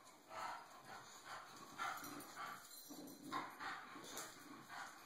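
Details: Bulldog Cisco, fed up with being bullied, utters a loose series of short rough huffs and grunts about once a second, fairly quiet, captured on an Android phone with a thin constant whine in the background.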